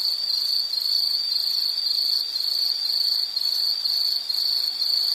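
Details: Loud, shrill insect trill from a soothing nature-sound recording, beaded into rapid pulses in half-second groups at one high pitch, with faint higher overtones and no other sounds.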